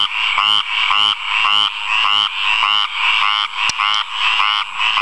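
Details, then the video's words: A male frog sings in a water puddle, giving loud, rapid pulsed croaks in bursts about once a second over a steady chorus. "Frog Singing.MOV"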